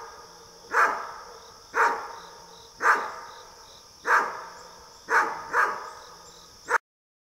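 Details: Pumpkin, a Great Dane, barks at deer in the neighbourhood: seven deep, loud barks, each about a second apart with a pair close together near the end, over a steady high insect drone.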